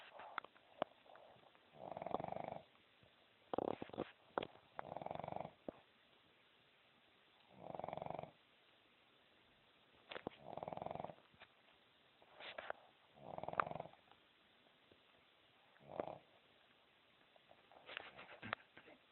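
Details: Sleeping dog snoring indoors: soft, breathy, hoarse snores in evenly spaced bursts roughly every two to three seconds, with small rustles and clicks between them.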